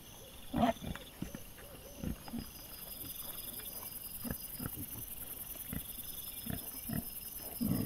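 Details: Wild boar caught by a trail camera on 22 September 2024: low, short grunts and snorts come irregularly, a few loud bursts among quieter snuffling, over a steady high insect drone and faint rustling.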